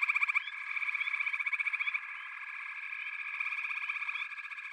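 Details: Frog chorus in backwater habitat: a loud, evenly pulsed rattling trill for the first two seconds over a continuous buzzing background of other callers, with a few thin rising chirps and softer pulses afterwards.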